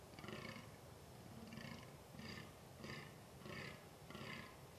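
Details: A rutting fallow buck (Dama dama) in a quiet forest, early November 2012, gives deep, hoarse belching groans in a steady series about every two-thirds of a second over faint background hiss.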